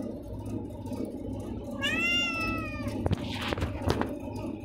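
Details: A hungry, malnourished black stray cat gives one clear, drawn-out meow while begging for food. Clattering knocks and rustling follow, over a steady low background rumble.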